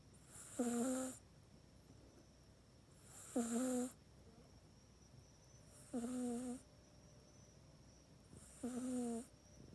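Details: Sleeping pet cat Mac snores in the cat bed it uses at night, recorded indoors with an iPhone 8: four clear, evenly spaced snores, each a half-second nasal, buzzing drone with breathy rasp, repeating about every two and a half to three seconds.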